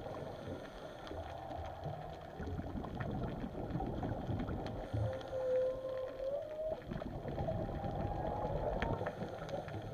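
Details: Whale calling underwater at Chileno Bay: a drawn-out, wavering mid-pitched moan lasting about two seconds. It rises slightly and then fades, half-buried under steady boat engine drone and rushing water noise.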